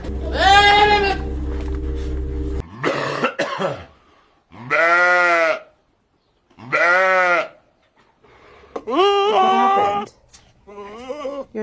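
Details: Goat making odd calls: a long harsh bleat over a low hum, then separate drawn-out nasal bleats, each about a second long, ending in shorter wavering cries.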